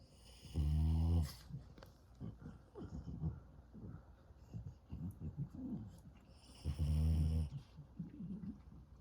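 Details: French Bulldog puppy snoring very loudly during an afternoon nap: two long, deep rasping snores about six seconds apart, with softer rattling, snuffling breaths between them.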